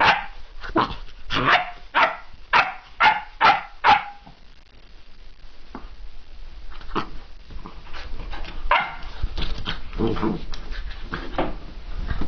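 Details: Excited puppy named Eva barking indoors: a run of about eight sharp, evenly spaced yaps over four seconds, then quieter scattered yips, whines and scuffling movement noises.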